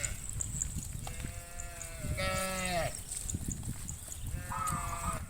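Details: A herd of hundreds of cattle heading to the farm pen in the afternoon: several overlapping higher-pitched moos and lowing calls of varied length over constant rumbling background noise and a high hiss.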